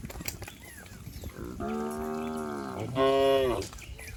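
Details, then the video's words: Village cattle running and jumping downhill on green grass; one long, steady lowing moo followed immediately by a shorter, louder moo, with faint outdoor noise around. "suara asli sapi"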